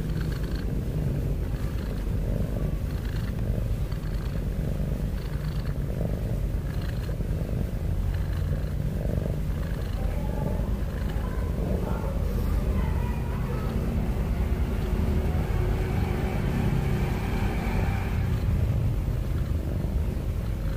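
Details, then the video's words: Sleeping domestic cat snoring with heavy breaths, producing an unbroken low, grainy rumble at steady volume, softly pulsing, with faint higher rustles toward the end. "Cat Snoring N Cat Heavy Breathing Sound"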